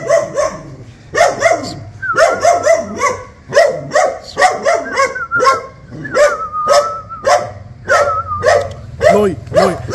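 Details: Dog reacting to a stranger with a rapid run of short barks, some clustered in bursts of two or three, over a whistled musical melody.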